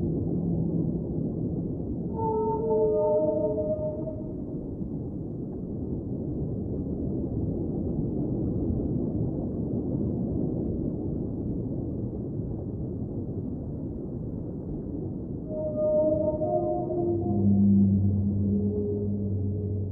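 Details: Underwater whale song in two bursts: a short series of stacked moaning tones early, a long quiet stretch of rushing underwater noise, then another group of moans falling to low sustained hums at the close.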